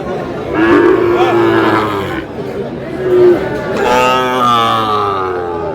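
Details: Sahiwal bull calves being bought and sold at the start of the Aftabganj cattle market in Dinajpur on 8 August: drawn-out, low, harmonic lowing, with a second long moo later, under loud market chatter and men bargaining.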